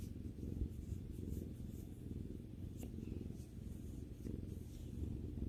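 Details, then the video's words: Pet cat relaxing with its owner indoors, purring continuously: a deep, even, rapidly pulsing rumble with no breaks, and one brief sharp click near the middle. "さくらさんのゴロゴロ音を聴きながらまったりする動画 Video that relaxes while listening to the cat's rumbling sound"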